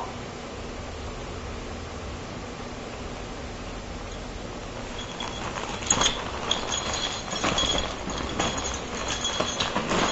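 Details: Steady broadband rumble with clinks and rattling knocks in the second half, and no animal voice.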